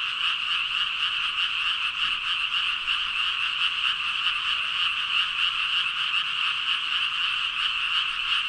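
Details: A mass chorus of thousands of frogs, some 5,000 callers, forming a constant dense croaking drone with fine rapid pulses running through it and no other noticeable sounds.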